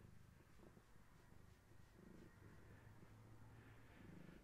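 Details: Gaia, a long-haired tabby expecting many kittens, purring indoors on a bedtime visit; faint low purr under a constant electrical hum, with pulses swelling around the second and fourth seconds.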